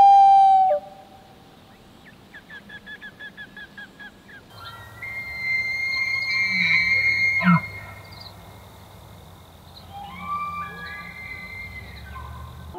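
An elk bugles: a rising, high, sustained whistle held for about three seconds, then lower grunting notes. Loon-like wails and a quick run of tremolo notes come first.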